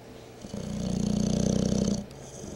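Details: Howie, a rescued English bulldog, snoring: one drawn-out snore lasting about a second and a half, a low rattling buzz of rapid pulses, with quieter breathing before and after.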